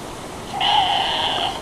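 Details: Tasmanian devils in an enclosure at a wildlife park in Bicheno, Tasmania, scream at each other before feeding time, apparently expecting food; one harsh, drawn-out scream, strained and steady for about a second.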